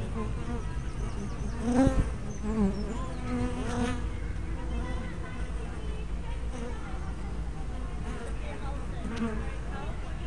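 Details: Buzzing honey bees crowd a hive entrance, caught on a small spy camera with a fisheye lens; several wavering wingbeat tones swell near the start as individual bees pass close, over a continuous low hum.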